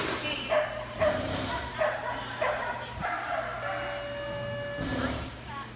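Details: A Corgi puppy at a novice agility event in November 2017 gives a quick series of short, sharp yipping barks over human voices and a steady hum.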